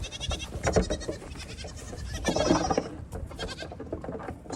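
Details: Young goat kids racing and jumping about at evening feeding time while the mother goats have grain. Two bursts of wavering, nasal bleats stand out over scuffling and clattering hooves.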